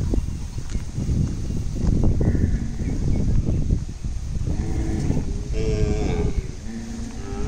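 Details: Kangayam cattle at Panikkampatti, with steady low rumbling noise throughout and, toward the end, drawn-out harmonic lowing calls rising over it.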